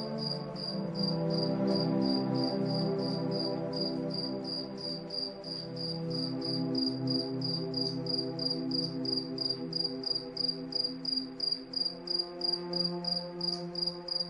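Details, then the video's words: Crickets calling in the night under moonlight, a steady series of sharp high chirps about three per second, accompanied by soft sustained background music with low swelling tones. "Cricket Sound| Calming Night"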